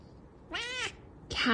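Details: Indoor house cat letting out one short, clear meow that arches up and down, followed by the loud start of another cry, as a person asks it about food.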